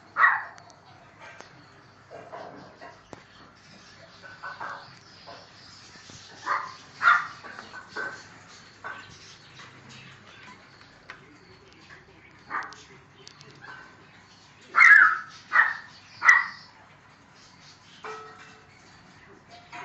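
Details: Neapolitan Mastiff male puppy, seven weeks old, giving scattered short yappy barks and yelps, mostly single with a few close pairs, louder bursts near the end, with quiet room noise between.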